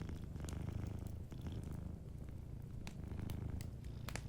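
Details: A sleeping cat's low, buzzing purr runs unbroken in steady pulses, dipping briefly once, with light fireplace crackles and clicks layered on top.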